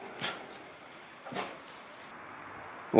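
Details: Border Collie sneezing repeatedly at home in Japan, bothered by smoke from the district's annual grass burning drifting over the garden; two sharp, noisy bursts about a second apart, then a person begins speaking at the end.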